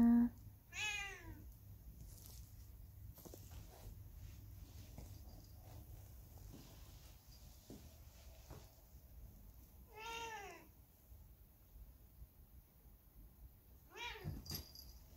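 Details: Factory cat left alone after the dogs it lived with were suddenly taken away by truck, on a day of cold, biting wind; three separate rising-then-falling meows, near the start, around ten seconds and near the end, with quiet background between.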